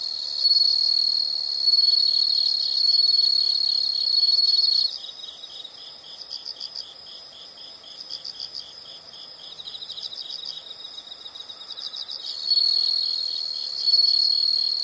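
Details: Insect chorus for relaxation: a loud sustained high trill at the start, then softer layered pulsed chirps about four per second, before the steady trill returns toward the end.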